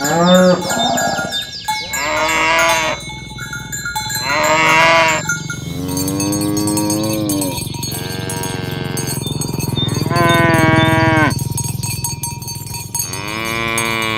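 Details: Dozens of fat cows walking in a row through a village in the morning; a run of loud moos, six or seven long bellows a couple of seconds apart, some rising, with clanking cowbells throughout.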